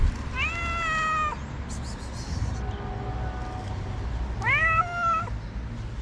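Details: Hungry stray cat in Morocco begging for food early in the morning; two drawn-out meows about three seconds apart, each rising then holding, with a low constant hum and faint clatter between.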